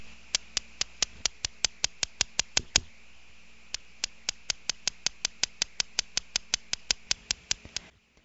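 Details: A male cricket frog in Iowa calls from water in spring to hold territory and attract a mate: crisp clicks like two marbles striking, about three a second in a rapid series, pausing briefly then resuming.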